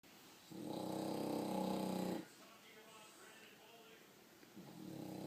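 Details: A French Bulldog sleeping with its eyes open snores loudly, a rough, rattling drone that breaks off and then starts again.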